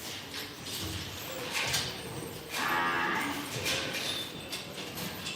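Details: Imported Angus, Limousin and Hereford calves at a purchase, giving a couple of moderately loud, drawn-out moos in the middle seconds over steady background noise and hiss.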